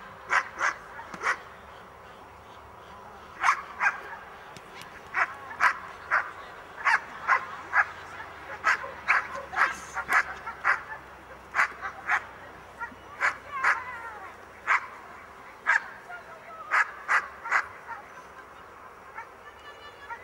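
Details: A Miniature Bull Terrier in a defence training class barks in sharp, rapid bursts, some quick doubles, with short pauses between.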